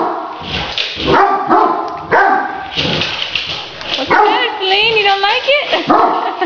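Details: Pet Great Danes playing with a remote-controlled toy tarantula: scattered barks mixed with a person talking, then a wavering, whining run of rising and falling tones near the end.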